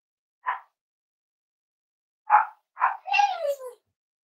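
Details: Cavalier King Charles Spaniel puppies playing with each other and exploring during potty training: three short, sharp yaps spaced apart, then a longer whining yelp that slides downward and fades, with quiet gaps between.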